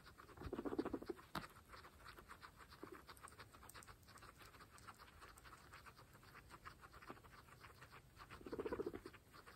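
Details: Several pregnant female guinea pigs feeding on fresh grass, quick irregular chewing clicks around four per second, bracketed by two soft low rumbling grunts at the beginning and end.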